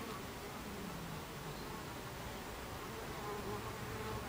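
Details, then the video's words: Buckfast honey bees at the hive entrance, 26 July 2013, 14:30: a steady, dense hum of many wingbeats with faint low drifting tones, continuous throughout and without pauses. "Beehive Entrance Buckfast Bees"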